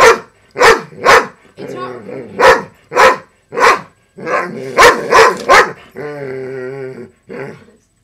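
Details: Female pet dog barking at a broken robotic frog toy with a loud motor while a person eggs her on; irregular sharp barks, some in quick doubles, then a long mechanical whirring from the toy and a final bark.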